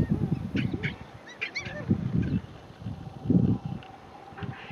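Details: Gelada monkeys grooming in the Simien Mountains, Ethiopia: low, soft grunting calls in short bursts at irregular intervals, with a few higher brief chirps and some background noise.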